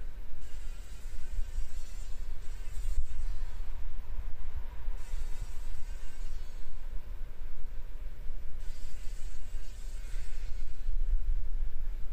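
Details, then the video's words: A fly struggling to survive after getting caught in a spider web in the corner of a workshop, in the morning sun. A steady low droning buzz continues throughout, with brief hissy bursts above it. "Überlebenskampf einer Fliege im Spinnennetz"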